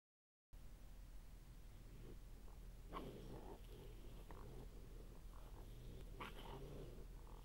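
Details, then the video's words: Three raccoons eating, filmed on a game camera, growl and churr in low, rumbling bursts, with harsher snarls and hisses as one turns on the other two. "My Game Cam Videos: Raccoons fighting and growling"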